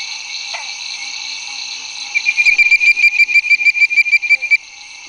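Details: Bird-voiced treefrog (Hyla avivoca) at 9 pm on May 10, 2011, Barataria-Terrebonne Estuary: quick bright bird-like whistles, about three a second, over night-insect hiss, with pig frog, bronze frog and Cope's gray treefrog calling in the background.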